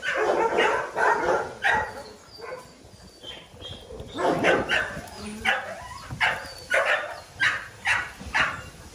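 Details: Small dogs barking, a burst of sharp yaps at first, then after a pause a run of bright barks spaced roughly half a second apart, growing steadily more regular toward the end.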